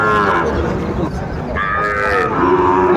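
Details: Cattle lowing at a livestock market in Manikganj, Bangladesh, on 30 December, where a farmer is buying a Sahiwal bull calf; a drawn-out harmonic moo runs through the clip, shifting upward midway, over constant crowd bustle and nearby voices.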